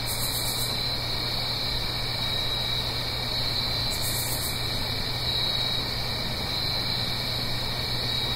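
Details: Blue Ridge Mountains crickets on an autumn night, uphill from a stream, give a steady shrill chorus with rhythmic chirps about every second; two brief bright high bursts break in near the start and middle, over constant low hum.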